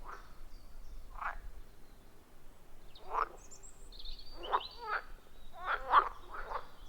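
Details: Wild frogs at a forest pond, recorded deep in the forest on an iPhone with an external microphone; scattered short harsh croaks, single and in quick pairs, with a faint whistled bird note and a quiet background.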